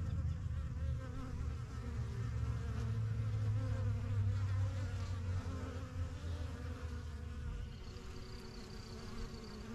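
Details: Honey bees from a strong yellow backyard hive, started in spring 2023, flying in and out: a dense, steady low drone of many wings humming throughout, with faint bird chirps near the end.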